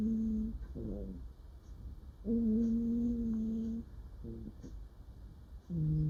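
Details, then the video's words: Female cat murmuring in a dream while sleeping: low sustained hums, one held steadily for about one and a half seconds, between short broken murmurs, with a faint background hiss. "Cat sleeps and makes cute noises while dreaming"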